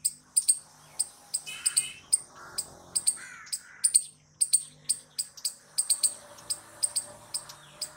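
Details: Squirrel giving loud calls: sharp, high chips repeated about three times a second in a steady series, with a few softer lower chirps between them.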